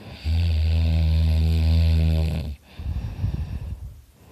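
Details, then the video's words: Loud snoring from Dakota, a dog asleep next to his owner: a single long, low, droning inhaled snore of over two seconds, then a ragged, breathy exhale. "Dakota snoring his butt off!"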